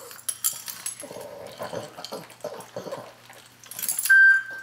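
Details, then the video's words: Pug named Asia at breakfast, piggy-like while she eats: a run of short nasal grunts and snuffles over a few seconds, then a bright ringing clink of her dish near the end. "Asia the Pug Eating her breakfast"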